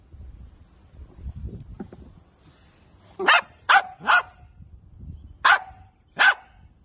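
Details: Miniature Dachshund, playful sausage dog, giving a run of sharp barks: three quick ones in a row, a pause, then two more spaced about a second apart, over faint low background rumble.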